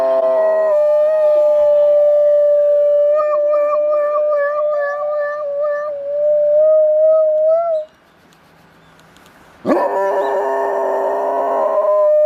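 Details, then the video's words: Dog howling like a police siren: a long, steady, sustained tone that dips low, climbs back and wavers, then breaks off into a short silence before a loud, harsh, noisy burst of sound. "собака воет как милицейская сирена"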